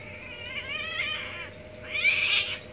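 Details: A village domestic cat gives a long, wavering, high-pitched yowl, then a second harsher wail, during mating.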